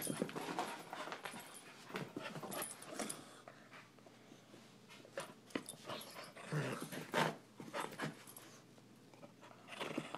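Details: Energetic panting by a dog, one of a 10-month-old puppy and a 12-year-old chihuahua: loud, breathy bursts near a hundred a minute, irregular, with a strong surge about seven seconds in.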